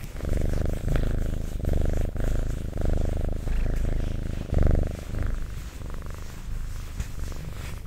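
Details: Domestic cat purring close up in an ASMR recording: low, rumbling pulsed purr in swelling phrases about one second long, with brief softer gaps between breaths.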